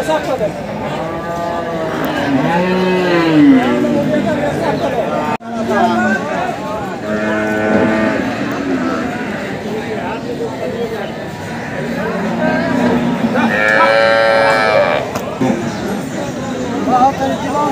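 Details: Water buffalo at a livestock market in India, giving birth to a female calf under difficult conditions; deep, drawn-out mooing calls come about four times, each lasting roughly a second, with people talking in between.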